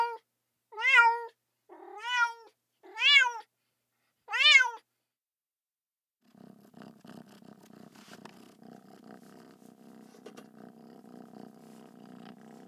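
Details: Cat sounds: four quick, rising-falling harmonic meows in a row, then a steady low rumbling purr that continues to the end.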